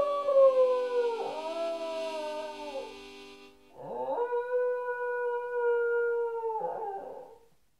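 A Cairn Terrier gives two long, wavering howls, the first sliding down and the second held steady.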